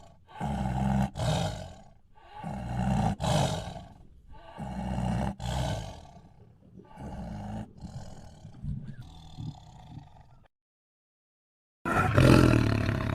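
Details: Tiger making rhythmic deep growls in bouts about every two seconds that gradually weaken, then a silent pause and a sudden loud burst at the end.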